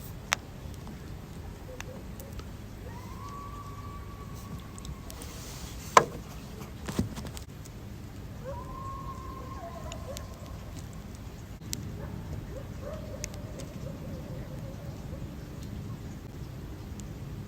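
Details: Coyotes at night give drawn-out, wavering howls that hold steady, then fade, over a low rumbling background; two clips joined, the first recorded closer and the second in rain.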